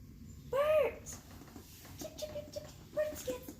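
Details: Pet cat indoors while being shown bird recordings made for cats: one loud arched meow with clear harmonics, then several short, level tonal chirps at a similar pitch. Faint talking and room noise run underneath.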